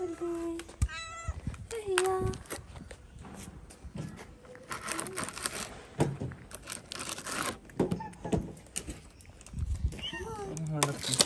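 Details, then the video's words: Stray tabby cat in Morocco meowing sweetly several times, short tonal rising-falling mews near the start and end, mixed with a woman talking softly to it in Arabic and English and handling thumps. "The tabby cat was incredibly cute with a sweet meow."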